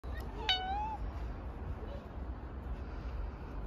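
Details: Cat giving one short, clear meow that rises and then levels off, followed by a faint brief second call, over steady low rumbling background noise.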